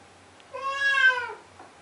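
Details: Blue point Siamese cat indoors at 2am, crying for its owner to open the door; one drawn-out, nasal wail lasting nearly a second, swelling in the middle and sliding down at the end.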